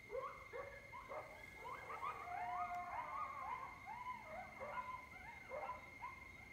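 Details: Group of wild coyotes at Lake Mendocino on an October night, recorded from a porch above the lake: dense chorus of quavering howls and sharp yips, some long sliding wails rising over rapid barking, several voices overlapping throughout.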